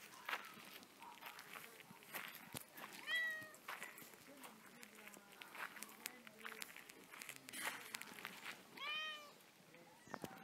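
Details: Active domestic cat letting out two brief, bright meows several seconds apart amid rustling, tapping and footstep-like background noise.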